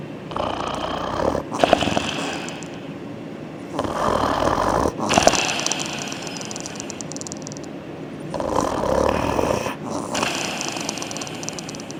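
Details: Sleeping soundly after exercise, a German Shepherd snores in long, rough, breathy bursts, three of them spaced roughly four seconds apart, each a broad rasping rumble with quieter breathing between, heard indoors.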